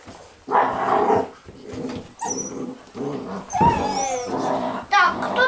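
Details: Eight-week-old Basset Hound puppies from a kennel, playing together indoors: a series of rough, harmonic growling bursts with yelping whimpers rising to a high squeal near the end, while a woman speaks in Russian between them.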